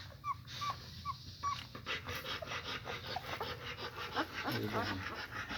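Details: Weak German Shepherd puppies sleeping heaped on one another after a feed give four clear short whistled squeaks, then rustling, shuffling and a low murmuring voice take over.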